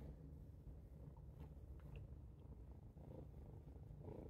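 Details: Domestic cat at a window, happily watching birds outside, purring steadily: a continuous low rumbling throb with no breaks, fairly soft and even throughout.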